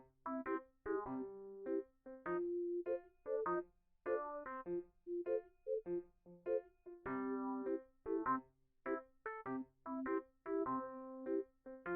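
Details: Soft electric piano plays short chords and phrases separated by brief pauses, with no animal sound.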